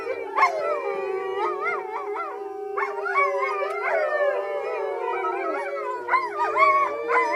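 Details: Captive wolves with some dog ancestry howl together at a rescue sanctuary in February 2013. A steady low howl is held throughout while several higher voices overlap in wavering, rising and falling cries.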